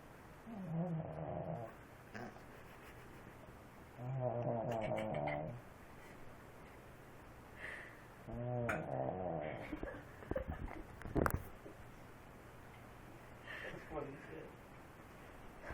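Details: Sleeping pet dog snoring: rough, rattling breaths with a buzzy, harmonic tone, each lasting one to two seconds and recurring roughly every four seconds over steady low background hum, plus a few faint clicks.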